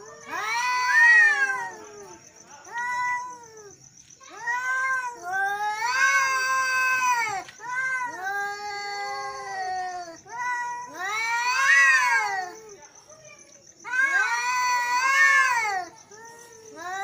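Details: Male cats in an angry exchange, loud wavering caterwauls and yowls coming in bursts every few seconds, some overlapping, rising then sliding down in pitch, over a steady faint high whine.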